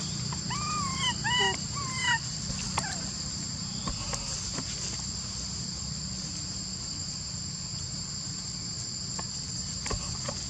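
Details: A monkey named Lori, unable to use her legs, calls another monkey to help her up a tree where baby monkeys are, with about six short, rising-falling whistled cries in two seconds over a steady insect drone.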